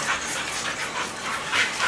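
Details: A pit bull and a bull terrier at play, with rapid breathy panting and faint high whimper-like tones over two seconds.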